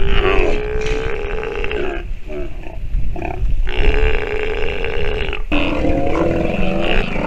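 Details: A nursing sea lion pup gives long, wavering, bleat-like calls in three drawn-out bouts; the calls are described as having been learned by listening while nursing.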